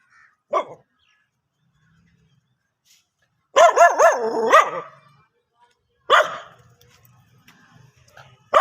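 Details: A dog barking: a short yip, then a long wavering howl-like bark run, then a single sharp bark and another starting at the end, separated by quiet gaps.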